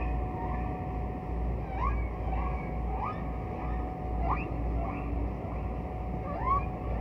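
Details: Distant humpback whale song from a rare recording of the 'Bel Canto' era of whale singing: a string of short, quick rising whoops, several a second in loose bursts, over a thick, constant low underwater rumble and a faint steady hum.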